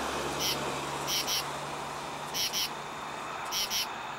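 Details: A male common true katydid calls for females at night from a tree at a highway exit ramp, giving harsh, raspy paired pulses like a scratchy "katy-did," repeated about every second.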